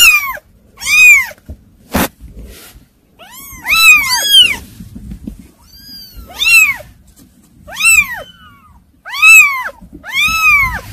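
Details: Kittens calling loudly and insistently, shrill bent mews repeated roughly every second or two, some doubled, with a sharp click and faint rustling between cries.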